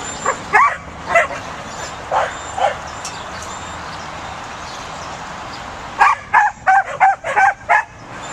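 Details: Pembroke Welsh Corgi puppy herding, giving short high yapping barks: a few spaced yips early on, a quiet pause, then a quick run of about seven sharp barks near the end over steady background hiss.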